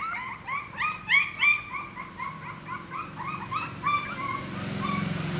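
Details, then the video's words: Puppy at play giving a rapid run of short, high, whining yips, several per second, some notes bending upward, louder in the first half and tailing off toward the end over a faint low background hum. "CUTE PUPPY PLAYING VIDEOS"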